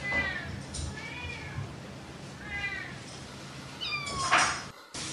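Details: A playful domestic cat meows repeatedly. The calls are thin, high and drawn-out, and several descend gently. The last cry is louder and is followed by an abrupt cut and background hiss.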